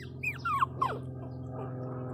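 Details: Pinscher puppy named Teco crying: a few high, thin whines that slide downward, brief and squeaky, over a steady low hum, with a woman's soothing voice around it.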